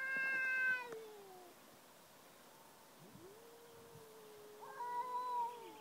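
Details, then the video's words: Chatty domestic cats trade calls: a short bright meow, then after a pause a long, low, steady moan overlapped near its end by a higher, rising meow from another voice. "Talking cats"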